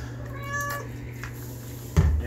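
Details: Domestic longhair cat named Ruckus, a female, protesting during her first-ever oatmeal bath indoors; a short, tonal, drawn-out meow with clear harmonics opens the moment, followed by people talking and a sudden low thump near the end.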